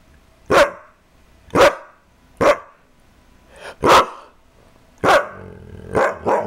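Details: Kaiser, a pet dog, barking in sharp single barks spaced roughly a second apart, seven in all, the last two coming closer together, with a quiet background between them.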